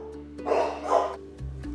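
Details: A domestic dog at home, one of an excitable and a nervous pair, gives two short, rough barks in reaction to a knock at the door, over steady background music.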